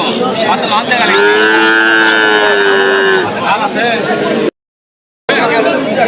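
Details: Drawn-out moo from cattle at a busy livestock market in Bogura, Bangladesh, held for about two seconds at an even pitch, surrounded by bargaining voices and crowd noise, with a brief silent gap near the end.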